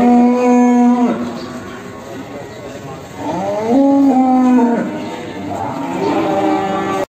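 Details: Simmental cattle offered for sale: three drawn-out moos, each holding a steady low tone before the pitch slides and breaks off, spaced about two seconds apart, over a faint noisy background.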